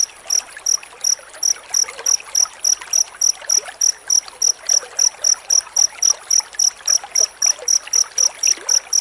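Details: Cricket with dense chirping, used as master sound for training white-rumped shamas; high, bright pulses repeated steadily about four times a second, with a soft trickling hiss underneath.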